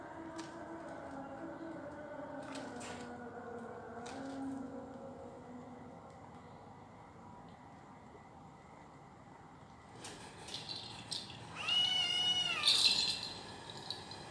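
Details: Persian cat named Jojo giving a single drawn-out meow near the end, rich in harmonics and bending slightly in pitch, after a stretch of low steady hum and a few soft taps and rustles.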